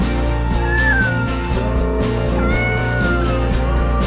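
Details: Pet cat producing two stretched, gently descending meows, partly buried under loud, bass-heavy background music.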